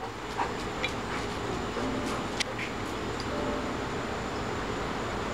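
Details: Steady outdoor rumble like passing traffic, with a few faint clicks and knocks; no animal voice is heard.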